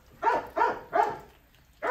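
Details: Young Rottweiler puppy, one of an eleven-day-old litter, giving short, sharp yelps: three in quick succession about a third of a second apart, a brief pause, then a fourth, clear against a quiet room.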